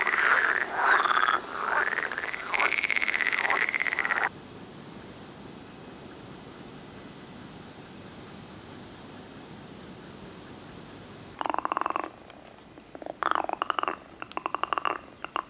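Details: Several green frogs near Turku, Finland, croak in a loud, rattling chorus for about four seconds. A long quiet stretch follows before the frogs resume with short bursts of fast, pulsed croaks.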